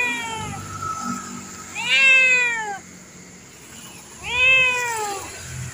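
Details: Tame pet cat with a fierce look mews three times: a short fading meow, then two loud, rising-then-falling meows about two seconds apart, with a faint background hum.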